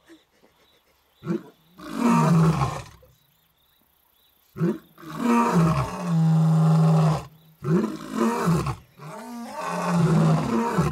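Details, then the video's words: Two male lions roaring in Africa, calling to females; deep moaning roars with strong low tones, delivered in several long bursts separated by short gaps, loud and close. "Lions roaring"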